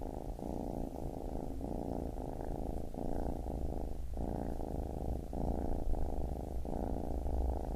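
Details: A baby kitten purrs in a deep, even rumble, each inhale and exhale forming pulses roughly a second apart, quiet and clean throughout.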